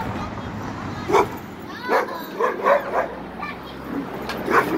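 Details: Dobermann barking: roughly six short, sharp barks spaced unevenly across five seconds, a few coming in quick pairs, over a steady low background hum.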